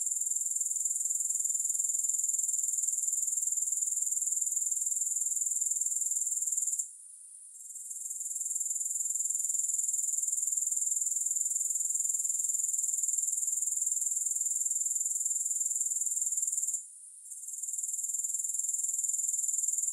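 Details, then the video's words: Grasshoppers calling with no music added: a continuous, very high-pitched shrill trill that pulses about four times a second, steady and even, broken by two brief near-silent dropouts. "Grass Hopper Sounds"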